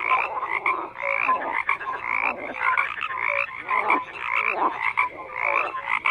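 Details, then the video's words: Dense frog chorus of grating, pulsed croaks coming in loose bursts close to once a second, several callers overlapping, with a few short tonal notes standing out. "FROGS CROAKING"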